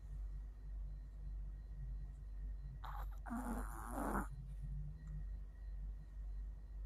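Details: Chihuahua named Mio, worn out and asleep, snoring indoors: soft low rhythmic breaths of uneven spacing, interrupted midway by a brief louder broadband burst, with a faint steady hum behind.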